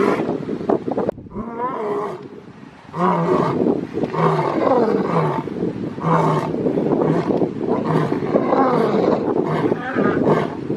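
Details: Lion giving a series of grunting roars: after a short rough opening and a quieter pause, loud low-pitched bursts come about once a second, each with a throaty harmonic tone, continuing steadily to the end.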